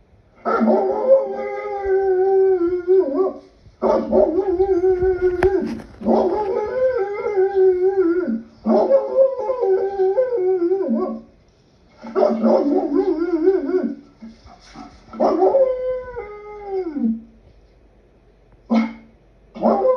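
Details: Wolves howling in chorus, several overlapping voices with long, wavering, sliding tones that rise and fall, broken into bursts of two to four seconds by short pauses, ending with a brief final call.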